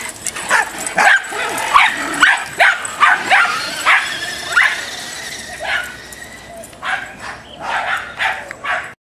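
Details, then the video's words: A Dachshund in road rage lets out quick, clipped barks in a rapid run, then spaced-out yaps trailing off toward the end, with a steady background rumble throughout. "Dachshund road rage"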